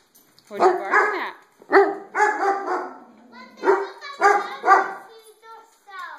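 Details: Dog barking at its reflection in overhead skylights; steady run of loud, harmonic barks about every half second, with a person's voice overlapping between them.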